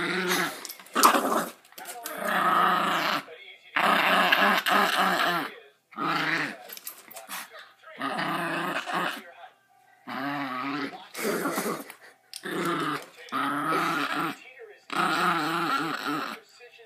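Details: Playful pet dog growling during a game of tug-of-war and while being petted indoors; a string of rough, warbling growl bursts, each one to two seconds long with brief gaps, some speech faintly present.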